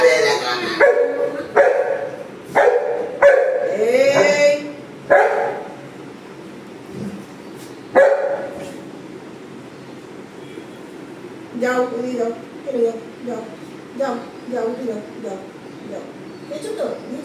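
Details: Pet Golden Retriever at home begging for carrots, rolling about: a run of sharp, high yips and whines in quick bursts, then a pause, then softer broken whimpers and a person's voice.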